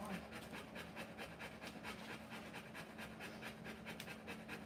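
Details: Rottweiler giving birth to puppies, panting steadily indoors: rapid breathy huffs about twice a second, each a broad noisy burst, even in loudness throughout, with no other clear sounds.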